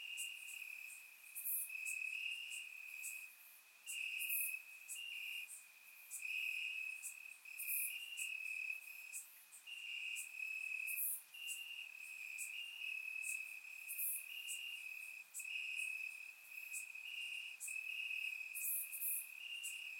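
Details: Crickets chirping in the grass on a warm summer night in Bulgaria, captured with a surround microphone: a steady band of high trilled chirps in long overlapping bursts, with sharp brief clicks flickering higher above.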